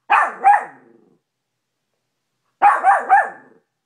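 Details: Maltipoo named Cash barking at his reflection in a bedroom mirror: a quick pair of high yaps, a pause, then a tight run of three, each bark short and bright with a slight whine.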